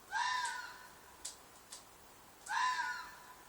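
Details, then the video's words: Night-time red fox shriek in a field behind an apartment: two harsh, rasping screams about two seconds apart, each sliding downward, with brief clicks in the quiet gap. "Fox Noise - Fox shriek/call/cry/mating call"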